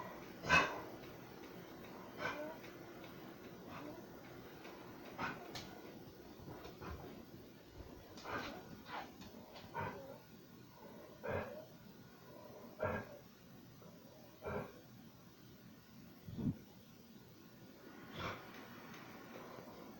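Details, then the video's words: Thirteen-year-old Pit Bull named BoBo barking and coughing while watching outside the window indoors; single short sharp barks spaced a second or two apart, one louder bark at the start, quiet room background. "A 13 year old pitbull barking, coughing and watching"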